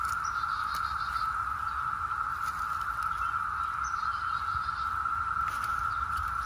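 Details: Periodical 17-year cicadas of the 2021 brood emergence in Northern Virginia, out in full force: a steady, unbroken high droning whine holding one pitch throughout, likened to a UFO, with faint scattered clicks and taps.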